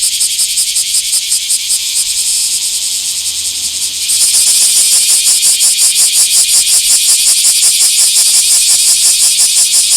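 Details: Bear cicada in a small park on 24 July 2026, its buzzing song jumping suddenly louder after four seconds into strong, regular rasping pulses about three per second.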